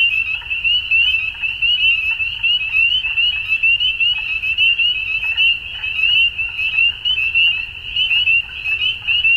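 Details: Spring dusk chorus of frogs in Ontario, Canada, many callers overlapping into a continuous high trilling ring, with rapid bright peeps on top and faint lower pulsing calls in the background.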